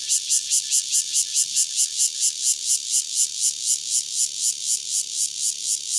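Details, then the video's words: A single Cicada Cryptotympana takasagona, recorded near Dona village, Kaohsiung County, Taiwan, in 2006, sings a loud, harsh buzzing song in rapid pulses of about three per second, steady and unbroken. "Cicada Cryptotympana takasagona, single"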